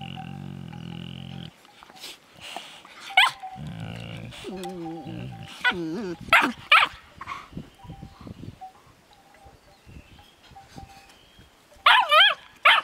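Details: Finnish Lapdog puppy and an older Landseer bitch expressing love for each other: low rumbling growls, sharp broken barks and rising-falling whiny yelps in scattered bursts, with a faint steady tone in the background.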